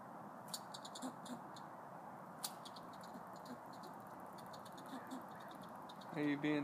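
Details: Territorial chattering from squirrels at Wilsonville Library, Oregon: scattered rapid clicky pulses and ticking bursts through most of the stretch over a low hum, ending with a person's voice speaking.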